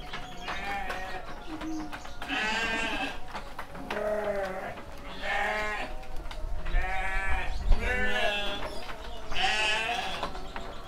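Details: Male sheep aged seven months on a Kediri farm, Sidomulyo village, bleating repeatedly: about five harsh, trembling bleats of varying loudness roughly every two seconds, with low rumbling handling noise and faint background talk.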